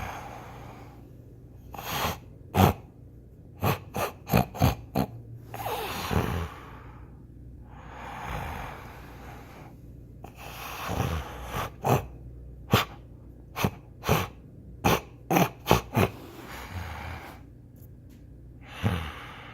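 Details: A sleeping Rottweiler snores loudly with rough, breathy rasps every few seconds, broken by sharp snorting clicks.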